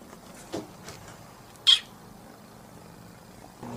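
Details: A kitten gives a few short, high-pitched mews separated by quiet pauses, possibly asking for dinner.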